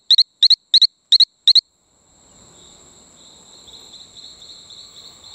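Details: On Isla Colon, Panama, a Talamanca rocket frog near Playa Bluff delivers five rapid doubled chirps, then falls silent while a continuous high insect drone and faint background chirps carry on.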